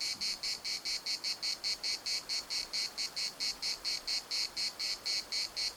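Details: Cicadas singing in Larnaca's municipal park in Cyprus, a shrill buzzing chorus broken into even pulses roughly twice a second, steady and unbroken throughout.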